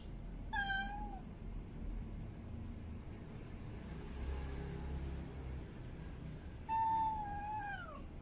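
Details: Female cat in heat mate calling: one short meow near the start, then a long quiet stretch with faint low background sound, then a louder drawn-out meow that dips down at its end.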